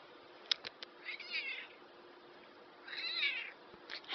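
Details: Black domestic cat, described as a talking cat, giving two drawn-out, wavering meows a little over a second apart, with a few sharp clicks before and a louder noise at the very end.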